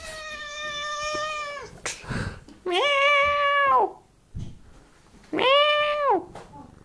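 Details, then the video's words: Cat meowing in long sustained cries, three calls over about seven seconds, each held level then dropping at the end, with soft thumps and rustling between them. "Really long "meaow""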